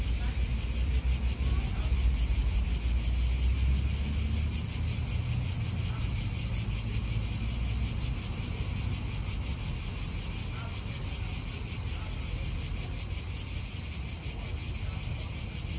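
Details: Real park atmosphere in Italy: cicadas keep up an unbroken rasping buzz with rapid pulses, while wind and distant car noise rumble low.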